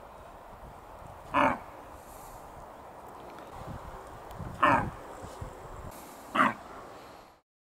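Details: Red deer hind filmed in Bristol, England, 21 September 2015, warning companions of a wildlife film-maker with three short, gruff grunt-barks spaced a few seconds apart over quiet outdoor background.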